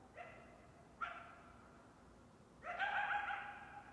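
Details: Coyote calling at a distance: two brief rising yelps about a second apart, then after a pause a longer, steady, wavering howl with a clear tonal quality over faint background hiss.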